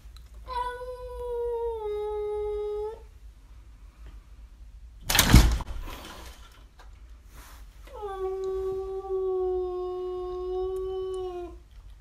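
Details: Trevor, a pet cat, yowls in a daylight fight while protecting his house: two long, steady, tonal wails, each a few seconds long and dipping slightly in pitch, separated by a loud, sharp thump or scuffle.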